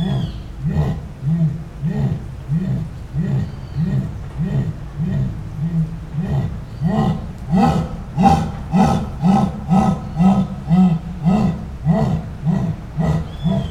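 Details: Live high-quality recording of a jaguar's esturro: deep, guttural grunts repeated nearly twice a second in a sawing, breathy rhythm, growing slightly louder and rougher toward the end of the series.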